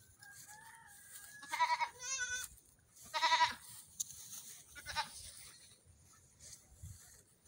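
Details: Young goat kids on a morning run give several loud nasal bleats with wavering, stacked tones: two close together near the start, a strong one in the middle and a shorter one after, with quiet gaps and faint background rustle.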